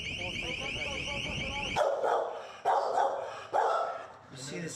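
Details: Dog barking at a Los Angeles animal shelter housing about 100 animals; after a wailing siren-like tone cuts off, three sharp barks come roughly a second apart, with a fainter fourth at the end.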